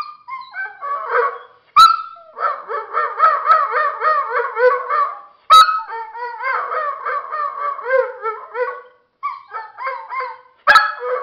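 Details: A male Dogo Argentino "talks" to his owner as if trying to tell him something. He makes a long run of warbling, yodel-like moaning syllables that rise and fall, broken by short pauses. Three sharp clicks or knocks cut in.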